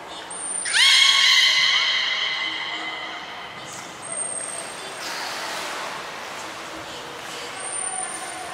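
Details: Training session with belugas Taanya, Nana, Mirai and Nico at Port of Nagoya Public Aquarium, Japan, 11 July 2020. One loud, rich, harmonic call rising sharply at the start, then fading; a thin high steady tone sounds briefly at the beginning, middle and end.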